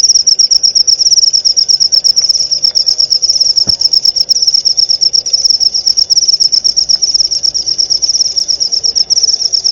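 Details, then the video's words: Sustained shrill cricket trill of quick repeated pulses, steady in pitch throughout, with a single faint click midway; recorded as tutoring material to enrich white-rumped shama song. "masteran suara jangkrik jernih!"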